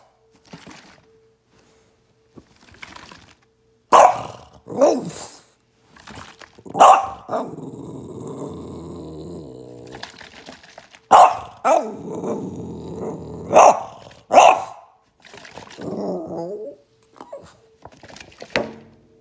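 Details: Atlas, a Boston Terrier dog, reacting as a water bottle is shaken at him: sharp barks and growly yips in bursts, separated by stretches of crinkly rustling and near silence.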